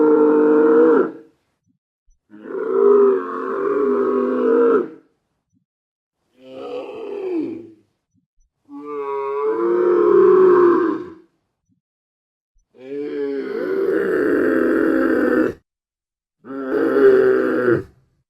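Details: Dromedary, the Arabian camel, giving grunts and bellows. Six long, loud, rich-toned bellowing bursts, some gurgling and wavering, are separated by short silences.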